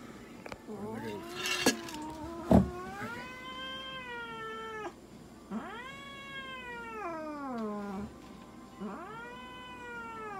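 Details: Mocha, a Munchkin cat, during a veterinary examination and blood draw at an animal clinic in Nagoya, gives three long, drawn-out, wavering yowls of about two to three seconds each, swelling then sagging in pitch, after brief handling clatter.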